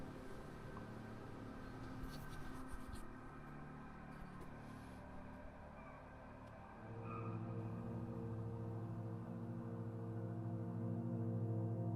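Low rumbling and scratchy handling noises, then a steady droning hum, with no animal voice.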